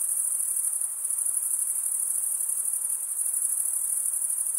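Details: Crickets stridulate without pause, giving a bright, thin, high-pitched trill of quick rhythmic pulses that holds level from start to end, with only soft background hiss.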